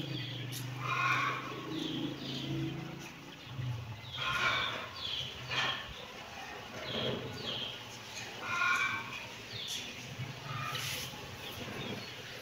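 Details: Kitten meowing in short harmonic calls at about 1, 4 and 9 seconds, with a steady low hum and scattered faint background noise between the calls.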